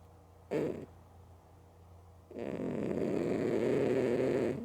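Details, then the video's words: Loud snoring from Mookie, a female cat dozing with her eyes open. A brief snorting breath comes first, then a long, noisy, rumbling inhalation fills the second half. "Cat Snoring Loud & Sleeping With Eyes Open"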